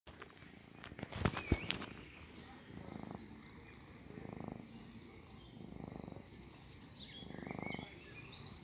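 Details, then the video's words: Domestic cat purring while kneading, treating its owner like its mother. Low pulsed purring swells in several bursts after sharp clicks and knocks at the start. Birds chirp high in the background. "Purring Time"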